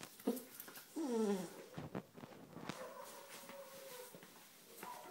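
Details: Bull Terrier puppy aged three months, busy with a rock, making a brief high whine that bends down in pitch, then softer drawn-out whimpers amid rustling.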